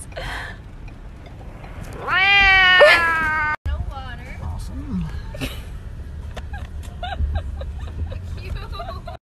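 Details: A domestic cat lets out one loud, sustained meow lasting about a second over a low background hum; after a brief cut, quieter household noise and human speech follow.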